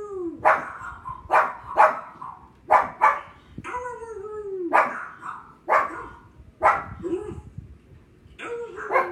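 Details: Pet pug Thor reacting to barking dogs on TV with about nine rough, explosive barks at irregular intervals, often doubled, interspersed with falling whining tones.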